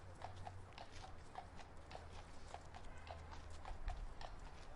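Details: Steady clip-clop of a horse's hooves on pavement in Central Park, about two or three beats a second.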